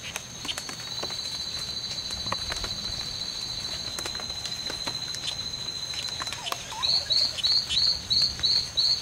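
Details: Two male strawberry poison-dart frogs fighting in the C.R.A.R.C. reserve on September 10th, 2012, during a fight lasting from 11:00 am to 4:00 pm; steady high whining tones throughout, then short buzzy chirps repeated about twice a second near the end.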